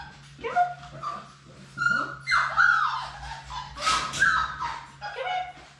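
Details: Four Labrador Retriever puppies born March 11, 2021, in their play room on a live puppy cam; high, thin whimpers and yips rise and fall in short overlapping bursts over a steady low hum.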